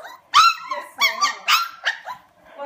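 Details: Alaskan Malamute puppies at play, giving a string of short, high yelping yips and squeals with harmonic overtones, roughly four bursts over the stretch, indoors.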